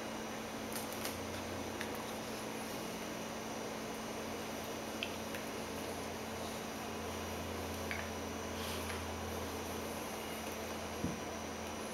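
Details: Steady indoor hum, like a fan or air conditioner, with a few faint clicks and rustles and no animal voices.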